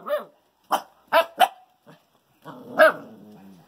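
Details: Female Bouvier des Flandres puppies, one fawn and one brindle, let out a series of high, squeaky barks: a single yap, then a quick run of three, a soft one, and a longer drawn-out bark.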